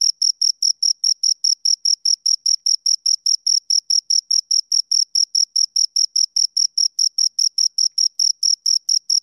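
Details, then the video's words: A pair of crickets chirp continuously, sharp shrill pulses at around four per second in a very even rhythm, clean and free of background noise. "Two Crickets Chirp Sounds"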